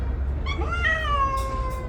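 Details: Around 2 p.m., a parent domestic cat gives a drawn-out, wavering yowl, rising then sliding downward, while defending its yard territory and kittens from a stray cat.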